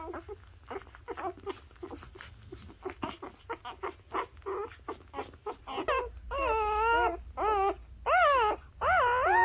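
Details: Newborn Labrador Retriever puppies nursing on their mother: quick soft squeaks at first, then longer loud wavering whines that rise and fall, several in a row toward the end.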